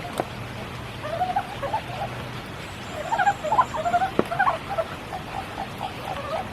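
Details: At Kiyotaki in Tokyo, frogs sing through a spring downpour, a lively run of quick mid-pitched chirping, wavering notes coming in bursts, over the hiss of rain and occasional sharp drip clicks.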